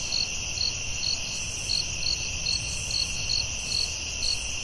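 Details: Night chorus of crickets in the forest, with sharp pulsed chirps about 140 a minute riding on a continuous high-pitched ringing hum and faint low background rumble.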